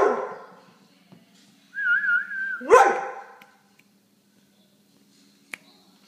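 An excited Vizsla gives a sharp bark, a high wavering whine, then another rising bark.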